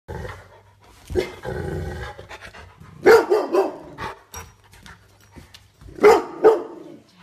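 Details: Rottweiler indoors reacting to what seem to be too many little intruders in the house: soft breathy huffs and a low murmur, then two tight bursts of short, deep barks near the middle and the end.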